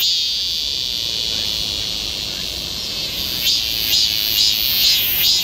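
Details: Midsummer cicadas singing in Galsan neighbourhood park forest, Yangcheon-gu, Seoul: a dense, even high-pitched buzz, with faint rhythmic pulses starting to throb through it near the end.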